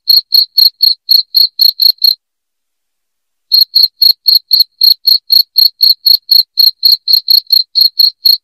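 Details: Cricket chirps played to repel rats from a home: rapid high pulses about four per second, a silent break of about a second and a half, then the same sharp chirping resumes.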